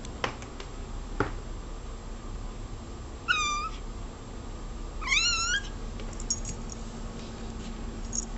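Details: Indoor cat giving two clear meows a couple of seconds apart, the second longer with a rising then falling wavering pitch, plus scattered clicks and a low background hum.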